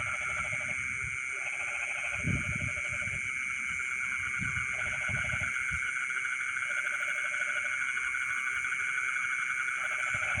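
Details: Night chorus of frogs in rice fields, midnight: rattling pulsed croak bouts of a second or two repeat at irregular gaps, layered over a steady high-pitched buzzing insect background and occasional dull low bumps.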